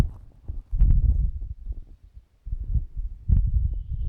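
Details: Bos, a tired old dog, snores while asleep in a recording from 2017: two low, rumbling snoring breaths, each about a second long, with a quiet pause between them.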